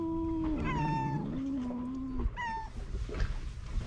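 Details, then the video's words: Two stray male cats that dislike each other, at the seaside in Istanbul: a long drawn wailing meow that sinks in pitch, then a second rising-falling moan, with low rumble of wind or surf beneath. "Two male cats meowing and hissing each other"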